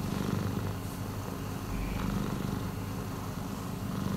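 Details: Cat purring, a steady low rumbling drone continuing evenly throughout with no breaks.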